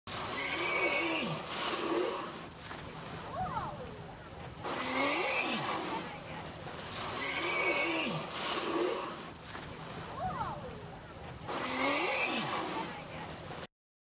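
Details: Colt, a friendly humpback whale, approaches a boat and makes rare noises through his blowholes: breathy broadband bursts recurring roughly every three to four seconds, each carrying squealing, bending tonal sweeps and a thin high whine.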